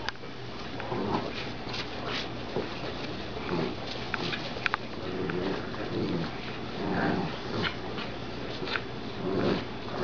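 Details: Dachshund and Golden Retriever puppies tussling over a glove: short, gravelly growling bursts and a few thin whimpers come between scuffles and soft knocks.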